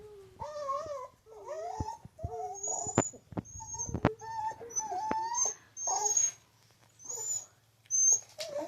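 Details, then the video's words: Pet dog 'talking' indoors: a run of whiny, wavering whimpers and short yowls that bend up and down in pitch, broken by sharp clicks and a few high squeaky notes. "dog talking"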